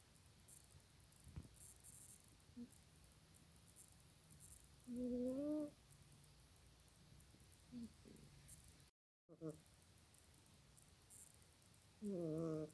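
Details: Janet the cat snoring while asleep indoors: two loud, tonal snores with stacked harmonics around five and twelve seconds, a few fainter short snorts between them, over a steady background hiss.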